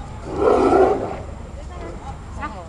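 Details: Two captive tigers play fighting at Copenhagen Zoo, roaring at each other: one loud, rough, broad roar lasting under a second, followed by quieter human voices calling nearby.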